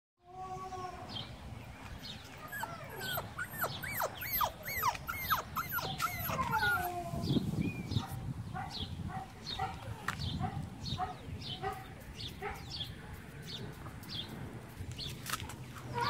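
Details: A cream-coloured Siberian Husky puppy whines in high, wavering tones, then yips in quick, uneven bursts.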